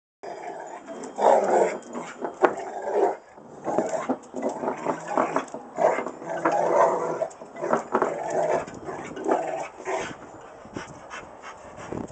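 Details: Rottweiler grumbling and moaning in drawn-out, throaty bursts, some with a tonal whine, rising and falling in loudness with short gaps between, over about twelve seconds; no other clear sounds.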